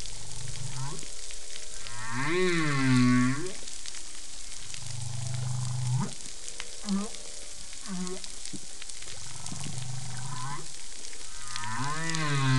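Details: Whale song recorded through passive acoustic monitoring: a sequence of low, harmonic moans, arching rising-then-falling cries, and short grunting pulses, with a higher swooping wail near the end, all over constant steady underwater hiss.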